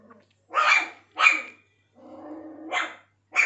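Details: Pomeranian puppies, white, barking indoors: a few sharp, high yaps in short bursts, with a softer, lower whining stretch between them.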